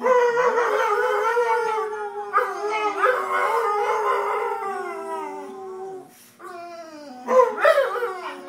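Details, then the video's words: Two pet dogs, Shanty and Yuna, howling together: long, wavering harmonic howls that slide up and down and overlap, pausing briefly near the six-second mark before the howling rises again. "Dogs howling funny"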